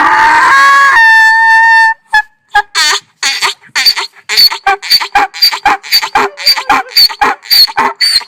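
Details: ['Donkey braying, a sound made when angry or afraid: a long harmonic wheeze for two seconds, then rapid rhythmic heaving pulses repeated about twice a second until the end.']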